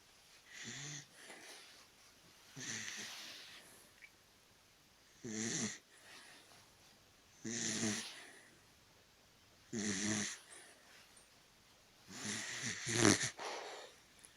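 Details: A sleeping Dachshund snores indoors: six rasping, breathy snores roughly every two to three seconds, each a short rattling intake with a hiss, with quiet pauses between.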